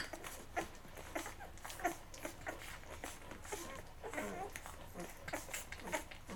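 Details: Eleven-day-old Labrador Retriever puppies from Mocha's litter, feeding until full and then crawling off to sleep; soft, high whimpers and brief squeaks come in short bursts over steady rustling and smacking sounds.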